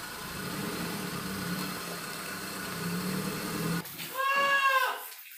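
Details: Etawah goat kid over three months old, taken from Karangkobar to be placed with a farmer and raised as a future breeding buck. A steady engine rumble fills most of the recording, then one short, loud, harmonic bleat sounds near the end.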